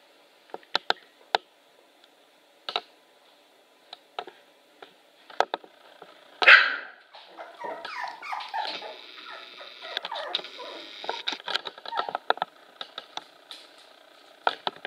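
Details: Manchester Terrier puppies, 24 days old, on a walk outside their pen; scattered short high yips and clicks, then a louder burst of squeaky whining and whimpering that carries on through the middle and later part.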